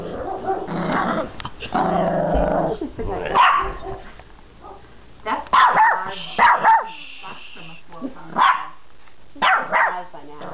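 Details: Female puppy at a back door barking at a noise in the backyard: a growly start, then sharp yapping barks in short bursts, some doubled, with a woman speaking between them indoors.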